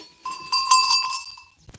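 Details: Goat kids left loose all day, running around rocky slopes on an extensive farm; a single wavering, nasal, high bleat lasting about a second, with a faint clatter of steps or bells at the end.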